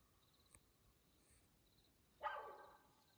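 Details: Nighttime mountain lion vocalization, 2:15 a.m., June 7, 2024, Coconino National Forest, Arizona: after quiet with a faint high hum, one sudden loud rasping cry lasts about half a second and fades out.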